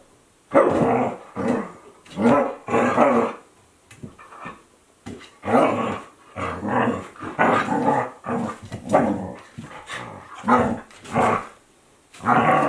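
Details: Playing Akita Inu, 14-month-old Aala with 2-month-old Olavi, recorded 2023 without music; a steady run of rough growling bursts about a second apart, each gruff and rasping, some rising into snarly barks.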